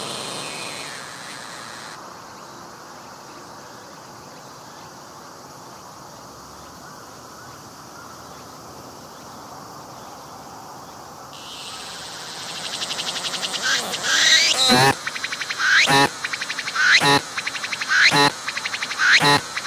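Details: A singing cicada on a tree, filmed at very close range with its abdomen visibly pumping, gives a steady high buzz that turns into loud, close, rhythmic pulses about once a second.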